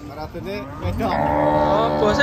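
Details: An angry cow being unloaded from a truck gives a long, loud low moo with rich harmonics that rises in strength and holds steady, after brief background voices.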